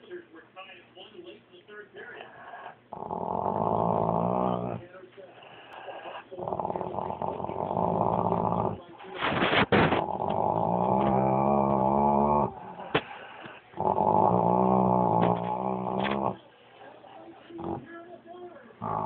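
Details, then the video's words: Domestic dog growling indoors in long, low, throaty bouts of two to three seconds each, repeated four times with short pauses; a radio or television voice murmurs in the background between growls. "Funny growling dog"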